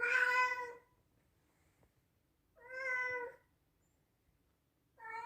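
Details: Loud meowing from a male Scottish Straight cat born in 2021: three clear, tonal meows, each under a second long and about two and a half seconds apart, with quiet gaps between them.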